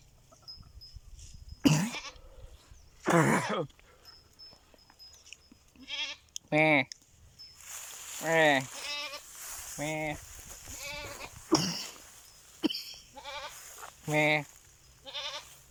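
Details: A person calls out to goats and they reply with a run of wavering, nasal bleats, some overlapping, mixed with human voice throughout.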